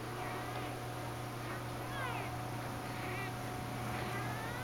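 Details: Sahara, a shaded golden Persian cat and mother of a litter, goes crazy for her catnip banana while kittens and other cats lie around; several short rising-falling meows over a steady low hum.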